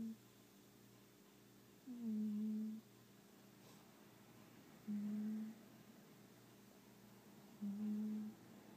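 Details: A pet cat snoring, described as sounding like a human, in a quiet room: three low, humming snore notes, each about a second long, coming roughly every three seconds with silence between.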